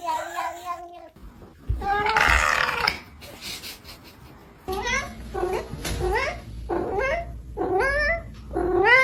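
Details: Cat uttering a series of short rising meows, about one per second, in a small room, with a burst of noisy sound early on and a human voice in the background.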